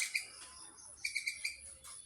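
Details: Squirrel near Chapraishirhat giving sharp, high chirps: a couple at the start, then a run of four quick repeated chirps, with faint hiss between them.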